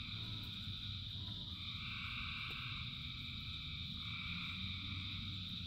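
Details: Frogs singing in heavy rain, a mass chorus of thousands: a long, held two-tone croaking phrase rises out of a constant high-pitched trilling wall, while rain pours as a thick low rumble.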